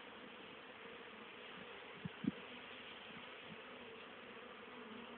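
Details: Honey bees on 10 October 2010, still very active for the season, bringing home pollen and nectar for winter stores; a steady, low droning hum throughout, broken by two sharp taps near the middle.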